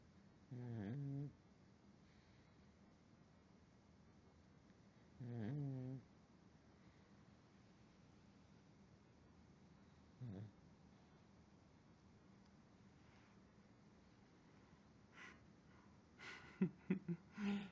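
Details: Snoring from Wilson the pug, asleep at night on his human's pillow: three low, grating snores roughly five seconds apart, the last one shorter. A person then begins speaking softly to the sleeping dog.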